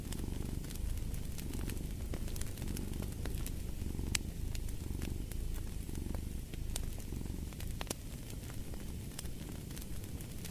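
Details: A cat's continuous deep purr throbs in slow pulses under the frequent pops and crackles of a fire burning in a fireplace.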